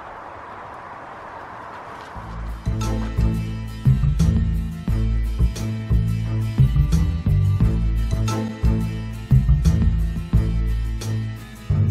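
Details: Upbeat instrumental groove with a steady drum beat begins after two seconds of low background hiss, with no animal sound heard.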